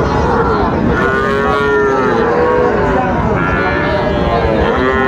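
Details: Bull cattle at a Bangladeshi livestock market visited by a Comilla farmer on 5 September 2024; long, arching lowing calls swell and fade several times beneath constant chatter of buyers and sellers.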